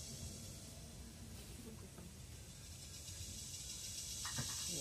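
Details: Philippine cicada, locally called kuliglig, in forest: a continuous high hissing drone held steady throughout, with faint low rumble beneath and a few brief tonal sounds near the end.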